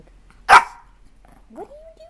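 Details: Puppy barking indoors: one sharp, loud bark, followed by a short rising voice and quiet room noise.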